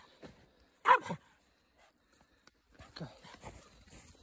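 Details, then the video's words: Two-year-old male Pekingese Chihuahua mix rescue dog barking and growling to get an older female hound mix to play; one sharp bark near the one-second mark, then quieter rough, low noises and shuffling. "Puppy Wants to Play and Growls"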